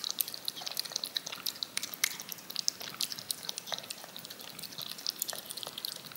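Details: Yogurt lapped from a spoon by a cat: busy, crackly wet tongue sounds, crisp clicks crowding together with several louder smacks, recorded close in a small quiet room.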